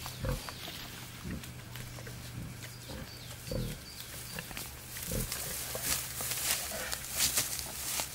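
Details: Courting male wild boar with a female in the wild: deep, short grunts repeated roughly every second or two, over a constant low hum and brushy rustling of vegetation.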